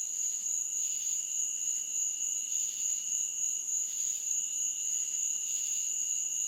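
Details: Meadow insects chirping after dark: two constant high-pitched ringing tones with buzzy swells recurring about every second and a half, steady and unchanging in loudness.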